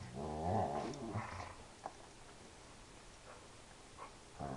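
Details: Indoor Dobermann at play letting out one loud, drawn-out moo-like groan at the start, then quieter rumbling and a few soft knocks in a small room.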